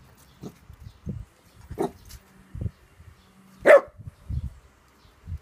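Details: Pet dog Trixie barking at the household cat Maskepot, which ignores her: a few short, sharp barks, the loudest near the four-second mark, between soft low thumps and quiet gaps.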